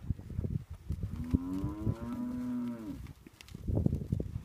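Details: Hereford cattle lowing: one long, steady harmonic moo of about a second and a half with a slight fall at the end, amid clattering, knocking background noise.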